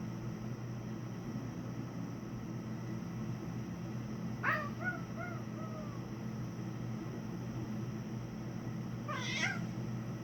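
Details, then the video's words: Domestic cat making unusual noises to get out of a fight with another animal: two short bursts of squeaky, trilling harmonic chirps separated by silence, over a steady low indoor hum. "makes weird cat noises to get out of a fight"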